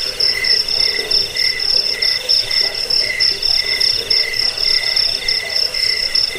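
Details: Cricket chirping used to drive off rats, lull listeners to sleep and tutor cage birds. A constant piercing trill runs beneath rhythmic lower chirp bursts, about one per second.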